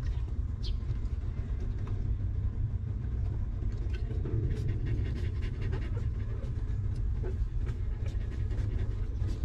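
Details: Stray mother dog with her newborn litter of puppies, living rough and later given shelter and food; quick, breathy panting streaks repeat steadily over a constant low rumble, with one brief high squeak early on.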